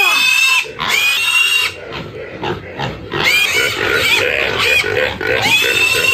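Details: Black pig about six months old, 21 kg, squealing while caught and weighed on a village farm in China; loud, piercing screams in long bursts, rising and falling, with brief pauses and faint voices between.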